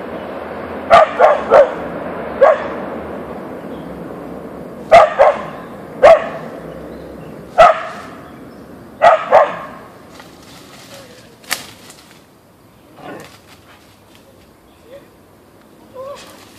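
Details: Siberian Husky (Ausky) Boeing meeting a deer in the backyard, scattered sharp barks through the first ten seconds, then quieter faint yips and whines with soft rustling toward the end.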